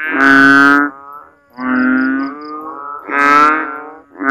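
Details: Frogs calling at night in a backyard in the Philippines during the rainy season, after heavy rain leaves water standing in swales and ditches. Loud, moaning, harmonic calls about a second long, three in quick succession.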